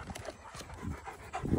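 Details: Female Doberman Pinscher named Mila, panting in a park while being tired out with training and play: quick breathy huffs repeating several times a second, with a louder low rumble of handling noise at the end.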